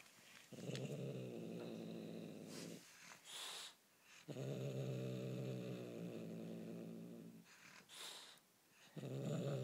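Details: A Bengal kitten holding on to toy prey growls in long, steady, low harmonic rumbles of about two seconds each, with brief rustling and clicks between bouts.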